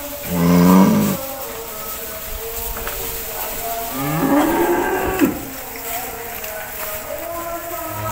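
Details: Cows eating grass in a cowshed; a short low moo at the start and a second, rougher moo around four seconds, with a constant droning hum and scattered knocks between them.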